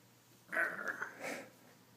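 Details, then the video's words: Lucky, a fat domestic cat, snoring while sleeping: a raspy, breathy intake lasting about half a second, then a shorter wheezy exhale, against a quiet indoor background with a low steady hum. "Lucky the Fat Cat snoring"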